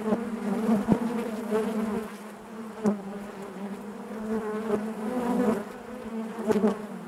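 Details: Hive interior full of honey bees humming: a thick low drone that rises and falls in loudness, with several sharp taps and scraping sounds scattered through.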